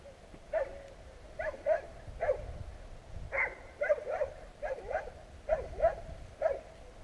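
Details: Several annoying street dogs bark at passers-by along a street, captured on a GoPro Hero: a run of sharp, ringing barks, often in quick doubles, roughly once a second throughout, with faint low street rumble beneath.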